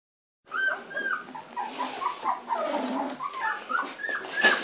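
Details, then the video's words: Grand Basset Griffon Vendéen puppies of the I-litter on their first time out of the crib, 19 November 2013: a busy chorus of high, sliding whimpers and squeaky yips from several pups, overlapping and rising and falling, indoors. "Grand Basset Griffon Vendéen pups van de Viersenhoeve I-Litter on the move"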